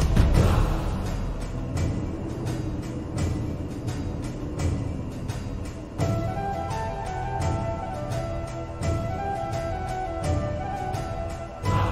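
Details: Dark orchestral music with booming drums and low sustained tones, no animal voices heard.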